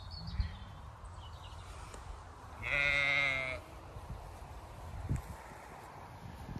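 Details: Zwartbles sheep, ewes with lambs, at pasture on a farm in County Kilkenny, Ireland, on a hot day in May; a single loud, nasal, quavering bleat of about one second, with soft low background rumble before and after.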